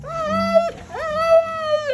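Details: Male Siberian Husky during bath time, dramatically vocalising: two long sustained howling moans, each opening with a rising slide then holding a steady pitch with slight wavering, nearly a second apiece.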